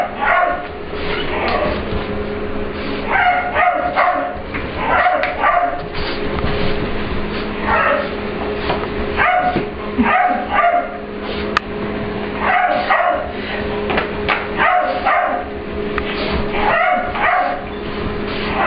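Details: Puppy Ester, a mixed English Bulldog and Pit Bull, meets Layla, a client's dog, for playtime in a grooming room at work and asserts the room is hers. Short bursts of barks and yips repeat every second or two over a steady hum.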